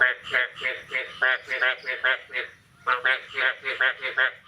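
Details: Morning frog calling on 9 May 2022 following the year's first rain. Harsh, nasal croaks repeat about every third of a second in two bursts, separated by a short pause.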